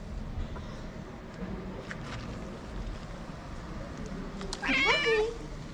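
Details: A hungry homeless cat on a Moroccan street gives a single short, quavering meow near the end, after several seconds of faint background noise.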